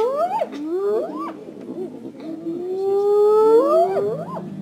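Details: Wild spotted hyena in Africa calling the rest of its clan: long rising whooping tones sliding upward, several overlapping swoops, sustained and loud throughout.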